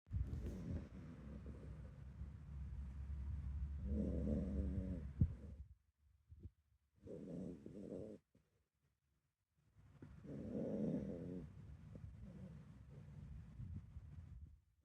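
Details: Sleeping Miniature Dachshund named Meme-chan, a dog that hardly ever snores, giving a rare sleep sound: soft, low rumbling breaths in long bursts separated by short silent pauses.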